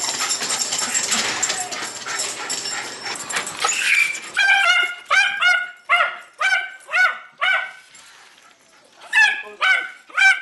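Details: Jay, a Jack Russell Terrier pet with dependency issues, after a noisy rustling opening bursts into sharp, high repeated barks roughly twice a second, a short pause, then more yaps.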